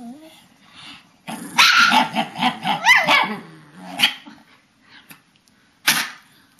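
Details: Papillons and a shih-tzu chattering during their bedtime ritual, March 2007: a soft whine, then a burst of excited barks and warbling yowls that rise and fall, trailing off before a final sharp bark.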